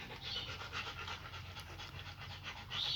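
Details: Rapid, breathy panting from a German Shepherd litter of puppies kept with their nursing mother, even pulses of hissing air roughly three per second, with a brief brighter rasp at the end.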